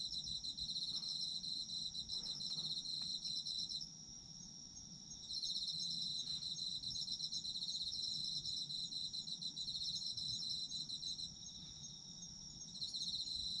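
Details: Chorus of autumn insects for sleep listening: shrill, rapidly pulsed trilling held high, about four pulses a second, dropping out briefly twice when the loudest singer pauses, then resuming at full strength.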